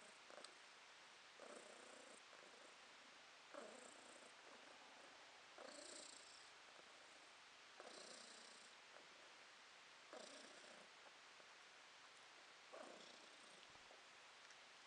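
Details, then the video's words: Domestic cat purring in August 2022. Soft, breathy rumble swells and fades in slow cycles about every two seconds, each burst brightening briefly, with quiet hiss between bursts. "Кошка Подушка урчит"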